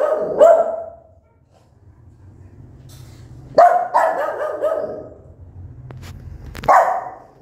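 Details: Mother dog, angry, barking at her newborn puppies: three loud, rough barks, the middle one trailing into a longer growling tail, separated by low background hum.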